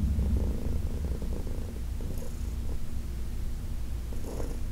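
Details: Heidi, a 14-year-old adopted senior cat from the Humane Society of New York City, purring steadily and deeply under a massage on August 4, 2021, with faint rubbing clicks of hands on fur.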